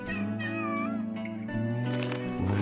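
A domestic cat makes brief, rising chirps with its mouth closed, each under a second long. Mother cats and kittens use this call to communicate during nursing, and adults use it as a friendly greeting, here over sustained music.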